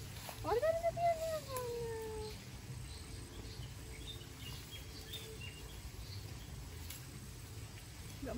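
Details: A newly acquired goat gives a single drawn-out bleat lasting about two seconds, wavering at first and then sliding downward in pitch, followed by a quiet outdoor background with faint distant chirps.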